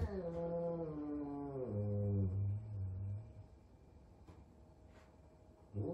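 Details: Frightened big F2 Savannah cat meeting a little kitten for the first time: one long, low, moaning yowl sliding downward over about three seconds, then near quiet with faint taps and the start of another cry.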